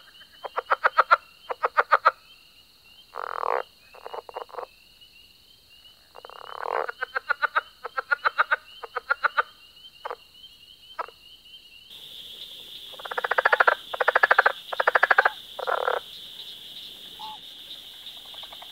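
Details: Several frogs croaking in rapid pulsed bursts, rattles and rasps alternating in uneven bouts, a constant shrill drone behind them; partway through the sound abruptly shifts to a noisier, hissier recording with louder rasping croaks.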